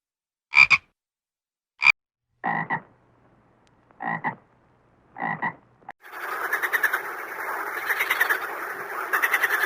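Five short, rasping frog croaks come at uneven intervals of about a second, then give way to a dense, continuous chorus of overlapping croaks.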